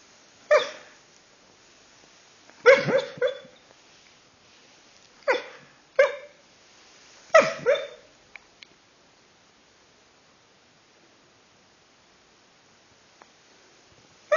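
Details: Sleeping dachshund making a run of muffled, breathy woofs and half-barks, some doubled, clustered over the first eight seconds, then mostly quiet apart from a faint click and a final short sound.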